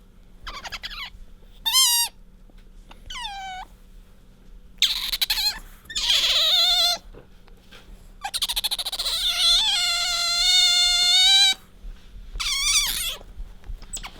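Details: Otter called Bingo nuzzling its owner and letting out a string of high squeaks: short rising chirps, wavering bursts, and a long steady whistled squeal of about three seconds, separated by brief quiet gaps.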